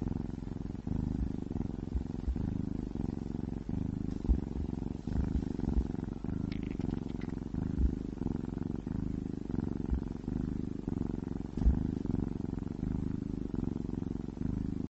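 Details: Low continuous rumbling purr from a ginger cat eating wet meat food, steady pulsed throbbing throughout with brief breathing breaks and occasional faint clicks of chewing.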